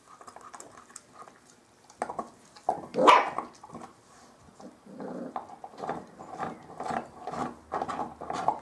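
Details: Bearded Collie puppies of the M litter playing on a roof terrace: short scrappy barks and growly bursts come in uneven clusters, one louder yelp near the middle, with scuffling between outbursts.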